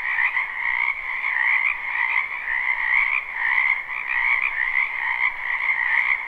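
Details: Many frogs croaking in a wetland behind a house in spring, recorded live at night: a dense, unbroken chorus of trilling, pulsing croaks in two steady bands, mid and higher pitched, with no pauses.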